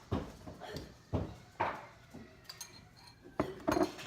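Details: Kitchen clatter of dishes and utensils with brief voices, and no animal sounds.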